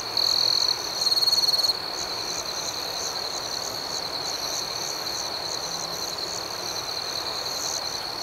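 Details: Crickets chirp through the night; a close individual gives two loud, sharp high trills within the first two seconds, then a steady pulsing chorus of many insects carries on alone.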